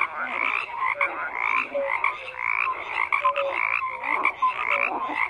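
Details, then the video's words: Frogs croaking in a dense chorus: overlapping rasping, pulsed croaks in bursts about every second, with short clear whistled notes scattered underneath and no other sounds. "FROGS CROAKING"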